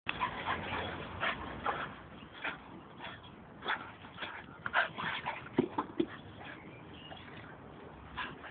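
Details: Two young dogs playing together, a 10-month-old American Pit Bull Terrier named Nico and an 8-month-old Staffordshire named Sergio, good friends; scattered short growls, yips and whimpers come in irregular bursts over low-bandwidth background noise.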